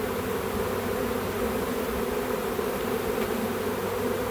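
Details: Back-yard swarm of honey bees being gathered for a home apiary, a thick, level buzzing hum from countless bees, steady throughout.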